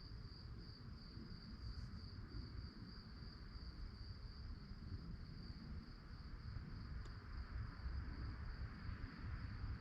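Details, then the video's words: Crickets chirping at night: a steady, high, pulsing trill that runs unbroken through the whole stretch, over a constant low rumble of distant traffic or wind. "relaxing sounds of crickets"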